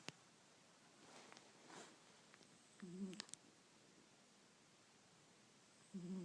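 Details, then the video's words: Sleeping male cat snoring softly indoors: two brief low rasping breaths, one near the middle and one at the end, over quiet room hiss with a faint click. "Snoring cat"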